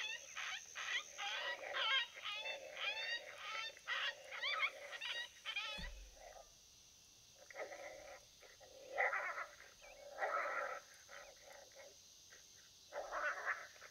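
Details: Wild coyotes during a predator hunt give a rapid chorus of wavering yips and quavering howls. It breaks off midway, then scattered yelps and barks follow.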